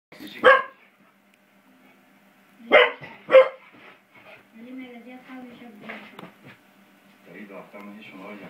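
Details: Beau, a five-month-old English Springer Spaniel, playing with a door spring indoors: three short, sharp barks, one alone and then a quick pair, followed by quieter voices talking in the background.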